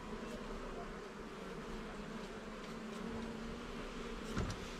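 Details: Short stretch of honey bees humming inside an opened garden hive during a frame inspection, an even, unbroken buzzing drone with a small knock near the end.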